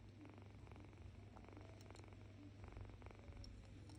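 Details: Female domestic cat making her usual soft cooing sound, heard as a continuous low, throaty purring rumble with faint rhythmic pulses, quiet and steady throughout.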